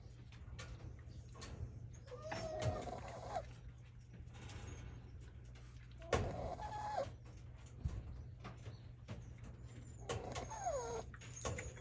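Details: Sleeping Shiba Inu puppy born 30 August 2023, offspring of Yuki, snoring like an old man: soft breathy bursts roughly every three to four seconds, some carrying a thin nasal whistle, over a quiet low hum.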